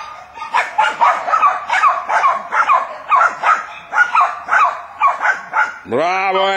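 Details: Jack Russell Terriers hunting wild boar: steady rapid barking for nearly six seconds, overlapping yaps, ending with a man's loud drawn-out call.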